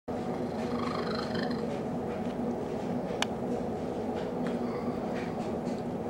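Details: Cecil the cat makes a very strange purr while snuggling with Betty, the dog he loves: a steady low rumbling drone with faint, wavering, trilled tones above it and a sharp click near the middle.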